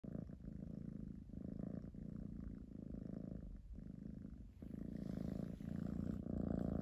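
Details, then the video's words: A kitten purrs very loudly, a steady low rumbling thrum pulsing in long breaths. "Loudest Purring Kitten Klaus ▫️◼️◽️▪️"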